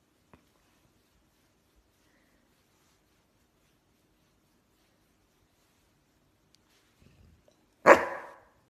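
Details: Bernese Mountain Dog begging to be petted: near silence for most of the time, then one loud, abrupt bark close to the end.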